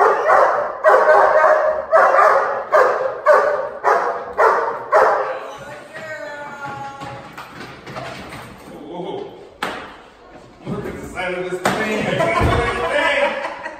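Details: Dog in protection training gives a run of about eight loud, regular barks over five seconds, then quieter clattering, a tonal squeal and human voices take over, with a final rough burst of noise.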